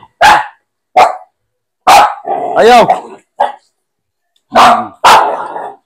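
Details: Barking Aspin dog at bath time. Loud, harsh barks are spaced about a second apart, then a quick pair near the end. A person's voice talks over the middle.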